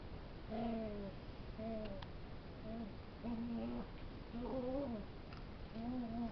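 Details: Puppy making funny noises while wrestling with a bigger dog: short, low, tonal growl-whines of about half a second, each with clear overtones, coming in bursts roughly once a second against a steady background hiss.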